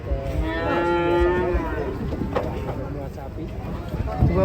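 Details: A cow moos during unloading from a truck: one loud, sustained, harmonic moo early on, followed by lower rumbling, with faint music and voices behind.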